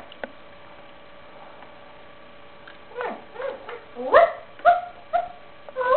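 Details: Chihuahua puppy giving short, whiny yelps: about three quiet seconds, then a run of brief, harmonic, downward-sliding whimpers, roughly two per second, growing louder toward the end.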